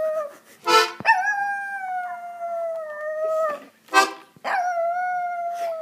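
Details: Macy, a pet dog, 'singing' in long sustained howls that start high and slowly sag in pitch, two drawn-out phrases of about two seconds each, separated by short dense buzzy bursts.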